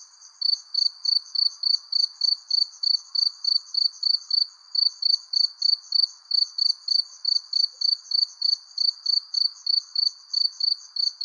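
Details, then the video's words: At sunset beneath a persimmon tree, crickets keep up rapid, evenly spaced high chirps, roughly three a second, one caller loud and close, another fainter and higher, over a quiet background wash. "Relaxing Cricket Sounds Under Persimmon Tree"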